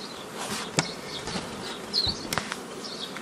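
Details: Honey bees humming while nucleus colonies are formed the old way from an earlier foraging swarm, 15 May 2018; continuous drone broken by sharp clicks and knocks of hive handling, plus a short high chirping burst.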